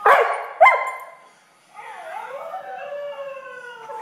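A Siberian Husky gives loud broken yelps, then a long wavering howl that slides and holds.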